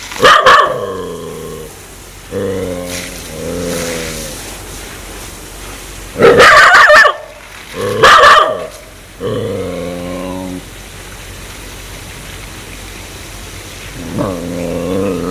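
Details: Aggressive dog wanting to bite people, giving low throaty growls in bouts of one to two seconds, broken by loud sharp barks, mostly in pairs.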